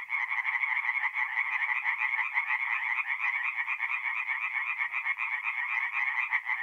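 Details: Tree frogs singing at night in a forest pond in mid-April in north-east Italy: a dense chorus of rapid, rattling croaks in quick overlapping pulses. The sound is steady and bright, with no other sounds.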